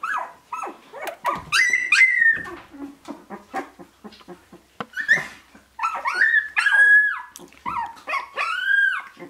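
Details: Sixteen-day-old Shiba Inu puppies of Ichi and Hime's litter, March 2017, whining together: many short rising and falling squeals and yelps overlapping, near-continuous with brief pauses, a soft French-speaking woman's voice around them.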